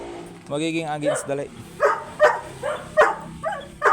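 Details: Large Dobermann during a stud session on a street at 10pm in San Jacinto, Pangasinan: a drawn-out tonal cry opens, then short, sharp barks come roughly every half second with uneven spacing, against background noise.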